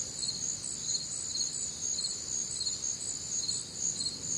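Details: Crickets and other nocturnal insects on a warm, humid Midwestern summer night: a dense chorus of high, pulsing chirps in overlapping bands, steady pulses about twice per second, no other clear sounds.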